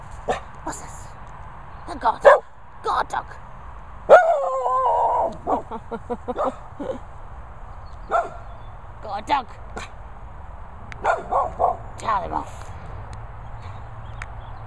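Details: Messi Bear, a Staffordshire bull terrier kept as a guard dog, playing outdoors: sharp barks and short yips scattered throughout, a drawn-out wavering whine around the four-second mark, then more clipped barks over a low steady wind rumble.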